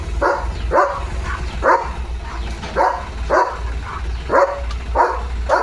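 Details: German Shepherd named Leo barking at a tractor passing in front of the house, steady sharp barks repeated roughly every half second, about ten in all, over a constant low tractor engine hum.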